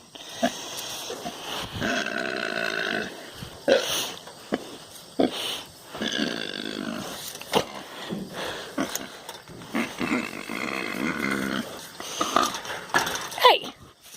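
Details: A big pet pig kept at home gives a long string of weird, rasping, honking grunts and squeals in dense bursts separated by short pauses, with a woman's voice nearby.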